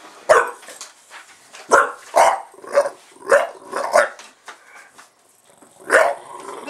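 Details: Pet bulldog indoors, barking excitedly as soon as a camera starts recording; about eight sharp, harsh barks in uneven bursts, some doubled, with short pauses between them.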